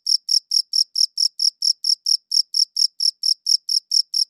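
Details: Cricket chirping recorded with a quality audio recorder, about eighteen crisp, high-pitched pulses repeated at a brisk, even pace of roughly four per second, clean and alone without background noise.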